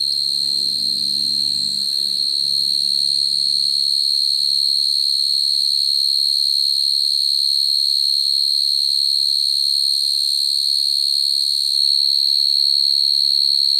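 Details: Field cricket trilling naturally to call females, a call used to trap crickets; a long, steady, high-pitched pulsing trill over a quiet low rumble that fades early on.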